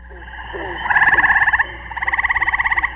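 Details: Gray tree frog from Muskoka, Ontario, giving two short bursts of a musical, rapidly pulsed trill, somewhat reminiscent of a red-bellied woodpecker, steady in pitch and each lasting under a second, over faint background hiss.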